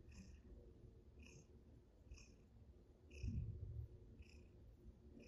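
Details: A Russian Blue cat that came to a table to play purrs in a low, steady rumble that swells louder for a moment.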